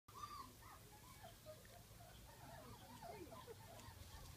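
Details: Honey's three-week-old puppies exploring a garden at Easter 2019 give faint, squeaky whimpers: short rising-and-falling cries that overlap throughout, over a steady low rumble in the background.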